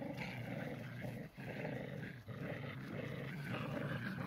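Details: Tricolor Shetland Sheepdogs playing tug of war, a lighter dog pulling against a heavier one; continuous low rumbling growl with brief dips, steady throughout.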